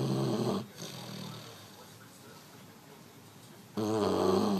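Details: An 11-week-old male Dogue de Bordeaux (French Mastiff) puppy snores while asleep indoors. Two loud, rough, low harmonic snores come at the start and near the end, with quieter breathing between them.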